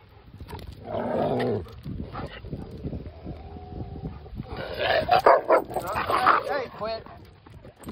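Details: Yellow Labrador Hannah with Erie, a Great Pyrenees mix, on the day Erie goes home: rough, growly bursts of dog vocalising come in two loud bouts, first near one second and again from five to six and a half seconds, under a woman's voice.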